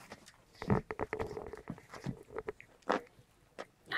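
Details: Seven-week-old white Großspitz puppies play roughly together indoors, producing nasal, tonal grumbling growls in short repeated bursts with scrabbling paws and chewing noises. A woman speaks gently in German between the sounds.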